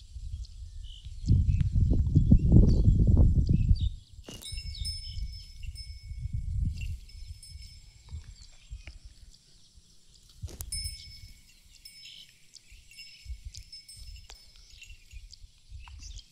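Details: A pregnant buffalo, eight months along and offered for sale in Sangareddy, Telangana, gives one low, drawn-out moaning call of about three seconds. Softer low rumbles follow, with birds twittering and chime-like tones high above.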